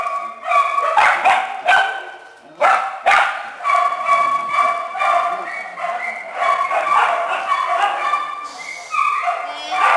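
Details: Small dogs and puppies in a shelter kennel mix sharp barks with high, wavering whines and yips, several voices overlapping throughout.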